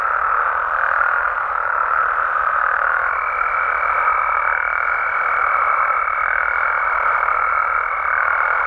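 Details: Frogs and toads of Mexico calling through the night in the wild, many voices merging into a steady buzzing chorus; from about three seconds a clear, level higher note holds to the end.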